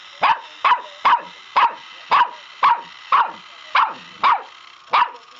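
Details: Puppy barking at a pedicure roller, sharp yappy barks repeated about every half second, ten in a row, over a steady hum.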